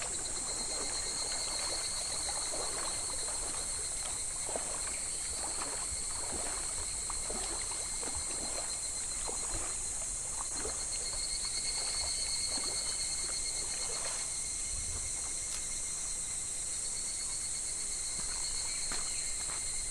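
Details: July cicada chorus beside a clear, shallow, gently flowing summer stream: a constant shrill buzzing drone with a thinner whining tone beneath, mixed with continual splashing and gurgling water.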